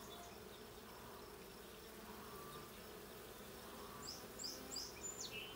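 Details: Honey bees humming in a blue hive during a hive check on 20 June 2022. A steady low drone runs throughout, and a bird adds a quick series of sharp high chirps over the final second and a half.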